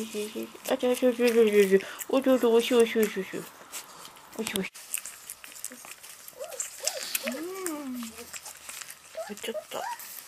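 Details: Twenty-eight-day-old Golden Retriever puppies at their first solid meal of ground beef after weaning from milk: bursts of shrill, harmonic whimpers in quick runs, then scattered arching squeals and whines with small rustling noises between.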